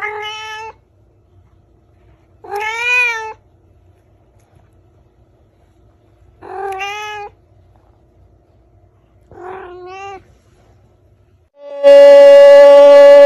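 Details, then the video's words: Domestic cat or kitten meowing four times, each short and bending up then down, with gaps of about two to three seconds between them. A loud, steady, flat tone follows at the end. "Funny Cats and Kittens Meowing"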